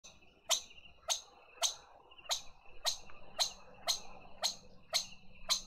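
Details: Lesser bushbaby at a garden feeder in Pretoria, South Africa, taking banana: sharp, short clicking calls repeated about every half second, over a faint steady high hum.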